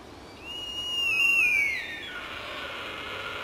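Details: Rutting sika deer in the wild at Jægersborg Dyrehave, Denmark, afternoon of 16 October 2007: a single long, clear high whistle that holds steady, then slides downward over about a second and a half before fading into soft background hiss.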